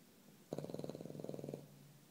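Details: Nico the dog snoring: a single low, rattling snore about one second long, made of rapid fluttering pulses, followed by quiet.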